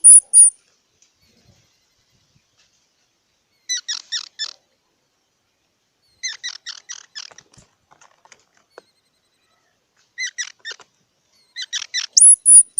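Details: Squirrel giving clipped squeaky chatter in bursts of three to five notes, repeated every couple of seconds, with thin high-pitched whistles at the start and the end.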